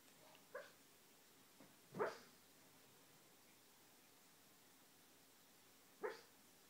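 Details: Dreaming dog making soft sleep-talk noises: a few faint, clipped huffs and one slightly stronger muffled woof near the middle, with a long quiet pause before a final short woof.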